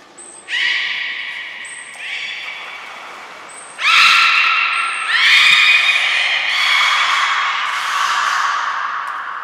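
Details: Belugas Nana, Niko and Mirai during a training session at Port of Nagoya Public Aquarium, 23 February 2023: short, very high thin tones, then loud squawky, harmonic calls that swell and hold for several seconds, in an echoing indoor hall.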